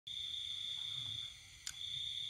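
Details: Cricket calling at night in the countryside of Vietnam during the pandemic, a steady high continuous ringing trill, with a brief click partway through and faint low rumble beneath.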